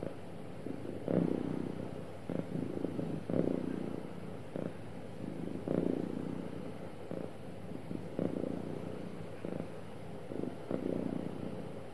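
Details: Happy cat purring steadily: a deep, soft rumble rising and falling with each breath at roughly one-second intervals, uninterrupted and calm, in quiet surroundings.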